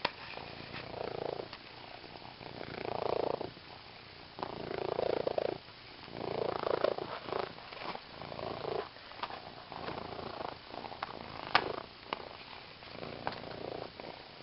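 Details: Close-up of a purring female cat trying out her new green fish toy; continuous throaty purr pulsing in breath-length swells, with occasional light taps and clicks from play.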